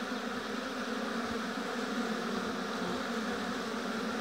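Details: Continuous buzzing of a crowd of honey bees around their hive in an apiary, an even, unchanging hum without pauses.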